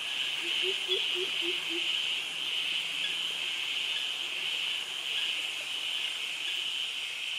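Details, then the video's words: Cicada and cricket chorus in jungle vegetation at Krabi, Thailand: a steady high buzzing drone holds throughout, while a short run of low hooting notes, perhaps a frog, sounds near the start. "Cicadas Virtual Walk Through Jungle - Krabi - Thailand with Cicadas and Crickets Sounds"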